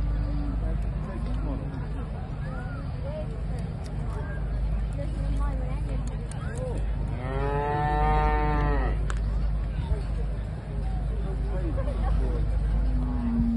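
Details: Parthenaise cow at Tullamore Show 2022, one strong rising-then-falling moo lasting about two seconds midway, set against steady low mechanical droning and faint background voices.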